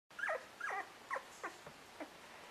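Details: Two-week-old English Cocker Spaniel pups in the nest give a run of short high whimpering yelps, six descending squeaks spaced about half a second apart, fading toward the end.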